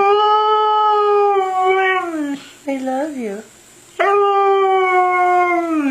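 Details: Siberian Husky 'talking' as if saying 'I love you': two long, steady, tonal howls separated by a brief warbling, wavering middle phrase and a short pause, rich in harmonics, indoors.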